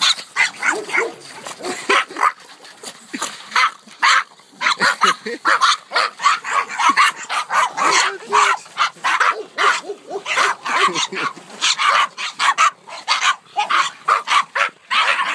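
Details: Excited pack of Norwich Terriers barking nonstop, a dense chaotic chorus of short, sharp, overlapping barks from several dogs with hardly a pause, plus a few human voices mixed in.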